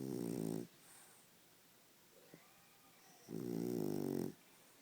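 A French Bulldog snores loudly, with rasping, rumbling breaths separated by quiet pauses.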